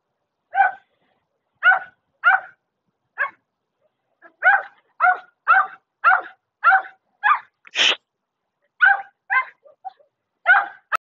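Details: Irregular bursts of short barks from a German Shepherd, about seventeen clipped woofs, some in pairs and some spaced out, with a single sharp knock midway.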